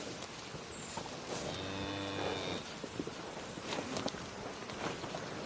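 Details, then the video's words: A cow's low moo lasting about a second, with a steady deep tone and many harmonics, set against steady outdoor noise with scattered clicks and a faint chirp. "Cow Mooing Sounds"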